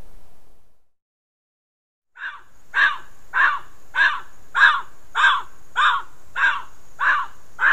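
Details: A bobcat calling repeatedly in June–July 2020 gives a steady run of harsh, raspy barks, about one every half second.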